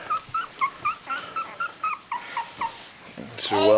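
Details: Whimpering from a three-week-old puppy whose eyes have just opened: thin, high squeaks repeated about every quarter second, steady in pitch, before a woman's voice comes in at the end.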